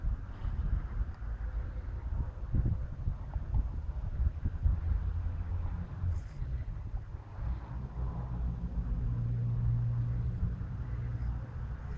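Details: Outdoor wind buffeting the microphone with a low rumble and faint distant background noise, and no animal sound is heard.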